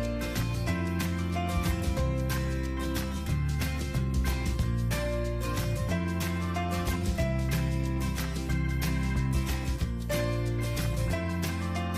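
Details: Steady instrumental music with a strong bass line plays throughout, and no animal calls can be heard.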